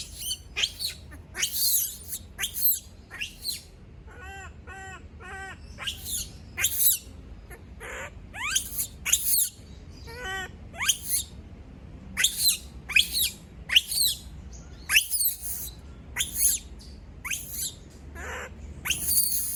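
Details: Female monkey screaming after everyone leaves her alone: a rapid series of sharp, shrill cries, some sliding upward, broken by short wavering bursts of harmonic squeals, repeated roughly every half second throughout.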